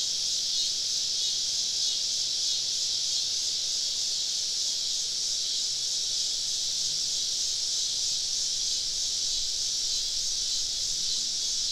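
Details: Cicadas singing all around a woodland campsite on a southern summer evening; a dense, steady high-pitched hiss-like drone with no breaks, a faint low hum beneath.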